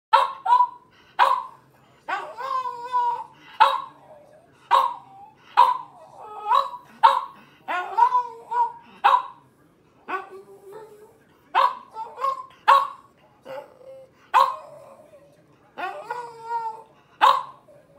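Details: French Bulldog, a rescued dog left for dead, giving a long series of short, nasal, yelping and whining vocalizations in quick bursts, some with wavering, moaning tones, repeated roughly every half second to second.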